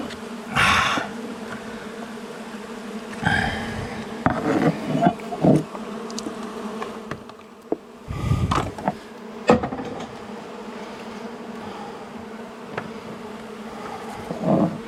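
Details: Long-time honey bee colony in a house wall, angry during the first day of a rescue cutout as night fell; persistent humming buzz under repeated loud bangs and scrapes of tools and wood.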